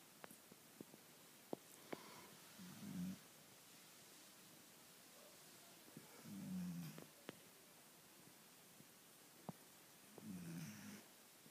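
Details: Sleeping Labrador Retriever named Lola during a late-afternoon nap: three deep, grumbling snores, each lasting under a second and spaced about four seconds apart, over a quiet background with occasional sharp ticks.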